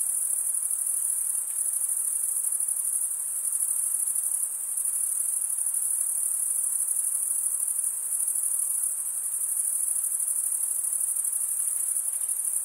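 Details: Crickets chirping through stridulation, wing rubbed against a comb-like row of teeth, make a sustained high, finely pulsed ringing tone with small regular swells in loudness.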